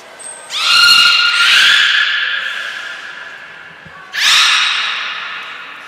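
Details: Belugas Gray, Nana and Mirai in training at Port of Nagoya Public Aquarium, Japan, 10 February 2024. A short thin high note precedes a long, bright, harmonic tone that rises slightly and holds, then a second strong tone follows about four seconds later.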